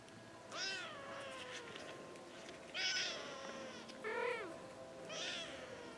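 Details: Persian kittens, five weeks old, playing: four thin, high mewing calls spaced about a second apart, each rising then falling, over a steady background hiss.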